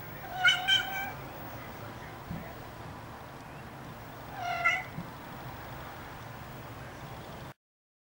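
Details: Three-week-old Ocicat kittens mewing. A thin, high double mew opens the recording, and a single softer mew follows about four seconds later. A low background hiss continues throughout.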